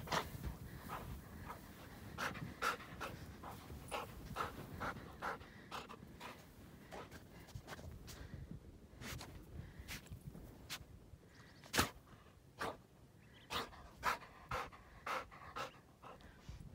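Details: Black Labrador Retriever, female, out for exercise hiking through deep snow in Utah; quick breathy panting bursts come in a fast, steady run, then thin out to sharper puffs about every half second near the end, over a low rumble.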